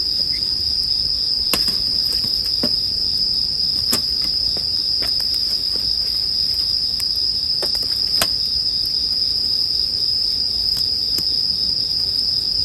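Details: Steady high ringing from bell crickets fills the background while crisp campfire cracks burst out every second or two, blended as calming sleep sound.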